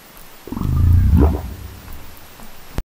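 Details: Burp-like grunt of a humpback whale, picked up by the Folger Passage hydrophone 100 m down. A low, throaty rumble swells for nearly a second, then bends sharply upward before fading. A brief sharp knock sounds at the very end.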